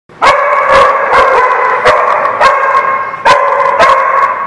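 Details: Dogs barking loudly and continuously, with sharp, ringing barks piling up every half second or so and overlapping into a steady chorus.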